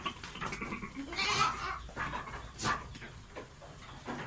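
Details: A goat in heat wanting to mate bleats in short hoarse bursts over a noisy, muffled background, with two louder cries standing out.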